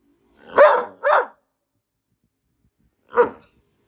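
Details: Border Collie letting out a quick double bark, then a single bark after a short pause.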